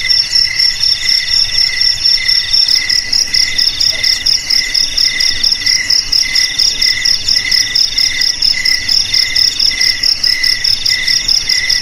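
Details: Cricket song meant to keep rats out of houses, garages, storerooms and rice fields: rapid high metallic chirps in rhythmic bursts, several insects overlapping steadily throughout.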